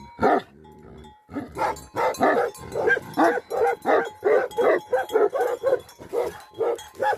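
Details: Tibetan Mastiff (Bhote Kukur) livestock guardian dogs of Nepal's Himalayas. After a low rumble, a loud volley of rough barks follows, spaced roughly a third of a second apart, and a thin chiming note hangs in the background.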